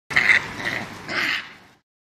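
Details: Japanese macaque calling: a harsh, nasal two-part cry, a strained first note followed by a slightly lower, rougher second part, lasting under two seconds against a clean, silent background.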